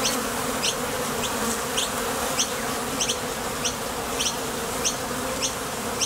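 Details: A steady humming buzz from foraging bees leaving and landing at a Top Bar Hive entrance. Brief high chirps recur about once every half second over the drone.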